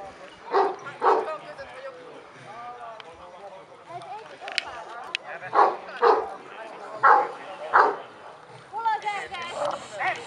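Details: Kuvasz dogs at the fifth Kuvasz club show in Kishegyes (Mali Iđoš), 2017: loud, deep barks come singly and in pairs, about six across the stretch, over a steady murmur of people talking.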